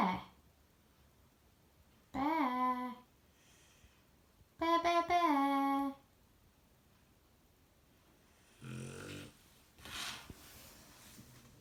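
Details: Sleeping Shar Pei with a bear coat snoring indoors in a small room: two drawn-out, tonal, harmonic snores about two seconds apart, then softer breathy, rasping exhalations.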